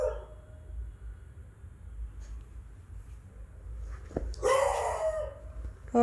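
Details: An adult beagle barks near a beagle puppy that gets scared. After a quiet stretch there is one loud, drawn-out, harmonic bark-howl lasting under a second, then a short squeak at the end; low background hum.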